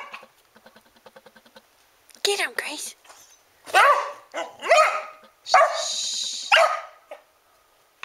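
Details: Border Collie cross hunting imaginary mice under rubber mats bubbled up by heat, indoors; rapid soft pulses, then loud yelping barks and high whines in bursts, with a person's excited voice.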